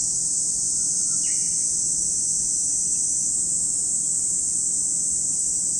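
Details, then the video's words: Cicadas at Lake Kamo in Sado City, Niigata Prefecture, Japan: a steady, unbroken high-pitched droning hiss fills the whole recording, with one brief sliding bird chirp just after the first second. "where you can hear the voice of cicadas"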